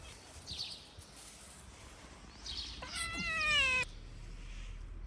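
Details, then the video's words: Hungry stray cat, one of a mother and her kittens waiting at a garden gate, gives one loud, slightly rising then falling meow of about a second near the middle, after quieter outdoor ambience with distant chirping. "A mother cat and her kittens greeted me at the garden gate; they were very hungry."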